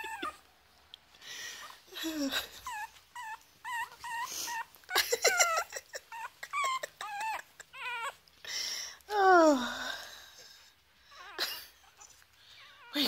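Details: Three-week-old foster Chihuahua puppies at play indoors alongside huskies: bursts of high, squeaky whimpers and thin yelps, some wavering, with a long descending whine around the middle and a person's voice briefly audible.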